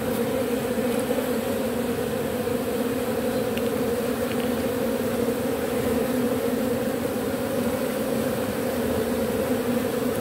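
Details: Robber bee collecting propolis from matchsticks, up-cycling it. A steady, unbroken droning hum with a low fundamental tone and a strong overtone, level and continuous throughout, with faint clicks and no other clear sounds.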